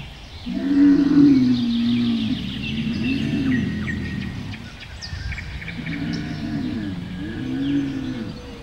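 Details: Camel giving drawn-out, low, harmonic moans that rise and fall, one long bellow followed by shorter groaning calls after a pause, with small birds chirping faintly in the background.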